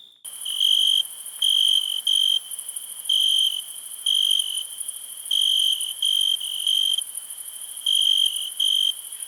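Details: Cricket chirping in bursts of shrill, pure trills, each lasting about half a second and coming at uneven intervals, over a continuous thin high-pitched hiss.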